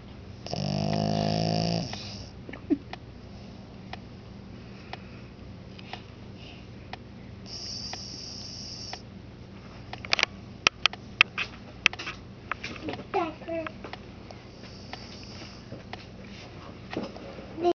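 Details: Marvin, a pet Lhasa Apso, asleep in a dark room and snoring really loud: one long, harsh, rasping snore in the first two seconds, then quiet breathing broken by faint clicks and soft rustles.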